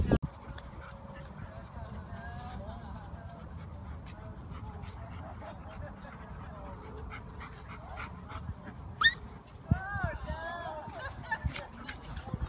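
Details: Laika, a Siberian Husky at a dog park on Halloween, ignored by the other dogs while wanting to play: soft wavering whines early on, then a burst of curling, high-pitched whimpers near the end over low rumbling background and human speech.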